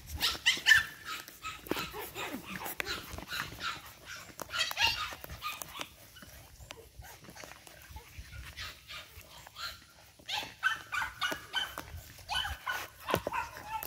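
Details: Energetic 8-week-old Boston Terrier puppies from Charm's litter, playing together indoors: bursts of high, sharp yips and little barks come in quick irregular runs, fading midway and then picking up again, with a person's voice now and then.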